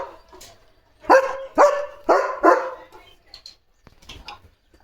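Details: German Shepherd dog at home barking near the gate; four loud, harsh barks about half a second apart, followed by quieter faint sounds.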